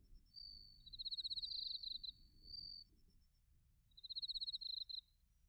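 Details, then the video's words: Autumn bell cricket and cricket song recorded in Narita, Chiba, Japan, using a TASCAM Portacapture X8: shrill pulsed trills in two bursts about three seconds apart, with a brief ringing note and a low rumbling background. "秋の音 スズムシとコオロギの鳴き声"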